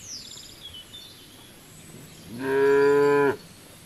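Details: Cow grazing in the fields, letting out a single loud, steady moo of almost a second after a quiet stretch with faint high chirping.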